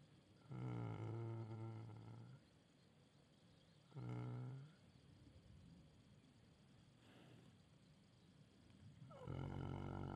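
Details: Shire horse snoring while dreaming: loud rasping low snores with rich harmonics, each about one to two seconds long, at roughly 0.5, 4 and 9.3 seconds, with a fainter breath between.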